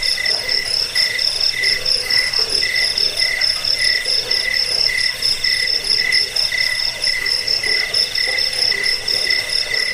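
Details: Crickets for chasing away rats, easing sleep and training birds to sing; bursts of high pulsed chirping recur about every second and a half over an unbroken shrill background trill.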